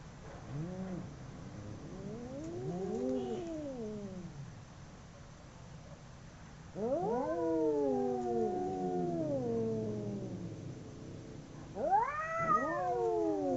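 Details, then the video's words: Two fighting domestic cats: quieter low warbling moans at first, then a louder long yowl that climbs and slowly descends, and a final sharp rising howl, voices overlapping throughout. "Two cats howling cats fighting sound"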